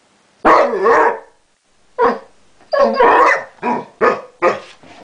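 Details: Basset Hound Chester 'talking': an opening drawn-out warbling howl-bark, then a string of shorter barking, talk-like bursts of uneven spacing.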